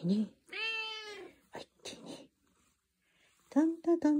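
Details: A black-and-white tuxedo cat replies to a morning hello in a small room. One long, steady, bright meow is followed by short clicks and murmurs, then brief sharp vocal notes at the end.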